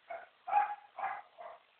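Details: Sandy, a six-month-old Labrador Retriever, learning to give the paw, the other paw and both paws: four short, soft, muffled barks spaced about half a second apart, in a quiet room, with brief spoken commands just before and after.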